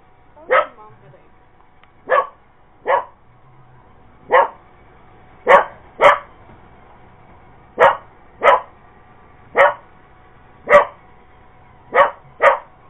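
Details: Purebred Cocker Spaniel going after an iRobot Roomba robot vacuum indoors, giving sharp single barks roughly every second, about thirteen in all, while a person tells it to leave the machine alone.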